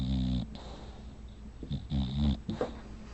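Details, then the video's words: Hannah the bulldog, a sleeping female, snoring in short rough bursts, several low grunting, rattling breaths in irregular succession indoors. "Hannah, the bulldog snoring."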